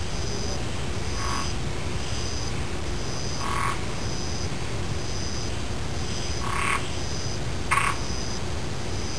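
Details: Several loud single frog croaks, spaced a few seconds apart, stand out over steady, evenly pulsed high insect chirping and a soft low hum.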